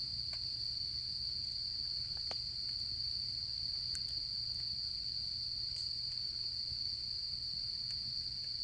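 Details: An unbroken, shrill and even trill of autumn insects fills the night at a campfire, with light intermittent crackles and ticks from the burning wood and a soft low rumble beneath.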